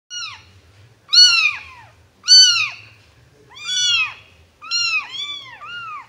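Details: Two orange tabby kitten brothers meow for attention with high, thin meows that rise and fall, often overlapping, about once a second.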